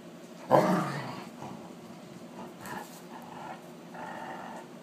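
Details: Wolf hybrid Sakima playing at night with a female Alaskan Malamute, filmed on an iPhone: a sudden loud, rough growling burst, then softer grumbling huffs and low moans with faint rustling in between.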